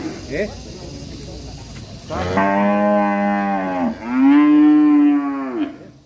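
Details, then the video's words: Angry cattle in a village setting, two long loud moos with rich harmonic stacks, the first about 1.7 seconds, the second about 1.8 seconds and slightly falling at the end, after a quieter opening. "SUARA SAPI NGAMUK"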